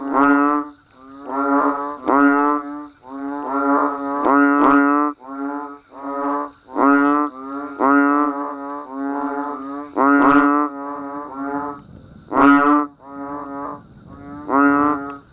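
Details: Banded bullfrogs with other frogs chorusing in the rain in natural countryside: rapid series of short, bleating, low-pitched calls from several animals overlapping, loud and soft voices interleaved, a short lull near the end.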